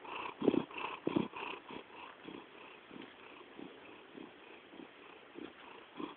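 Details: Pet cat purring or snoring quietly, a low, continuous throbbing rumble with uneven pulses, the first couple stronger and the rest fading to a gentle hum.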